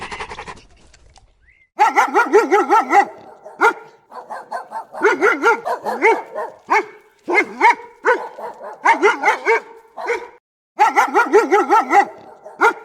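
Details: Dog giving rapid runs of wavering, yelping barks with a bleating, goat-like quality, in clusters of four to six, separated by brief pauses.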